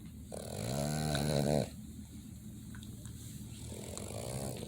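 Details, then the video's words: Boston Terrier asleep and snoring: a strong buzzy, vibrating inhalation snore of over a second, then a quiet pause and a softer second snore beginning near the end. "Dogs Snoring (Boston Terrier)"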